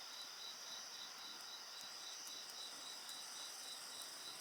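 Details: Dense insect chorus next to a crackling bonfire, layered high-pitched ringing tones with a fast, regular pulsing trill underneath, and occasional snaps from the fire.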